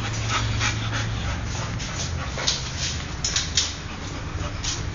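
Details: Golden Retriever named Luke, born 22 December 2009 and recorded 19 May 2010; quick breathy bursts of panting, roughly three per second, over a low steady hum, with short louder puffs near the end.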